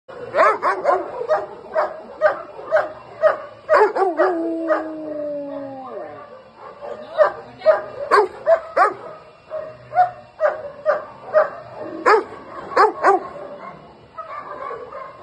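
A Rottweiler barks aggressively in deep, rapid bursts, with a brief drawn-out whining howl.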